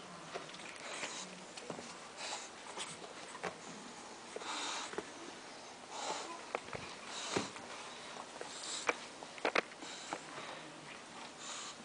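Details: English Bulldog puppies from a litter of six, four female and two male, sniff and snort in short, breathy bursts close to the microphone.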